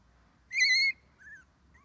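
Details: Twenty-one-day-old red male Shiba Inu puppy, only pup of the litter, on its first day playing outside with its mother: one loud, level, squeaky whine, then a softer falling whimper and a faint short squeak.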